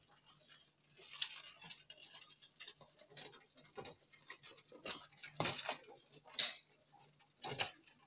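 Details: Nocturnal longhorn beetles producing sharp, crackly squeaks and ticks, some bursts louder and longer than others, spaced unevenly across the recording over a quiet background with a low electrical hum.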